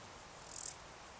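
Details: Male Stal's Saddle Bush-cricket giving its calling song in the Sierra de Guadarrama on 13 July 2019: one short, high-pitched, hissing chirp lasting about a quarter second against faint background hiss.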